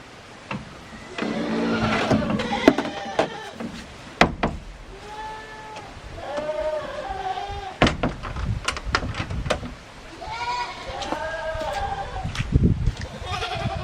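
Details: Goats at feeding time on Yoshigake Farm, a handmade goat farm in Himi, on 24 January 2021; several arched, wavering bleats rise and fall among clattering, knocking thumps and brief bits of a human voice.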